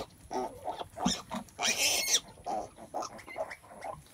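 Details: Farm pigs around a mother sow giving birth: a steady run of short, low grunts with one drawn-out, shrill squeal near the middle, then more grunting.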